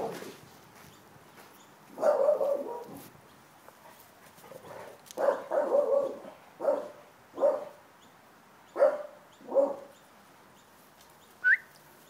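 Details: A young mastiff cross in a big dog rescue, December 2011; a series of deep, short barks in bursts, some doubled or tripled, spaced one to two seconds apart, with a brief high squeak near the end.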